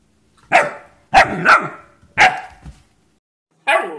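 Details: German Shepherd dog barking indoors, four loud harsh barks in two uneven pairs with short gaps, while a person soothes it with "it's okay" and "lay down".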